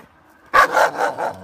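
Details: A collared Alaskan Malamute, angry, growling and wanting to bite, gives a run of four or five harsh, mid-pitched warning barks about every quarter second after a moment of quiet.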